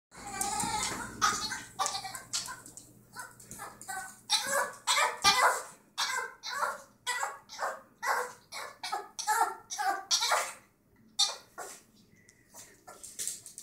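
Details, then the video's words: An excited female rescue Chihuahua in Minnesota gives rapid, high squeaky squeals in quick bursts, oddly like a dolphin's chatter. "Rescue chihuahua dolphin sound"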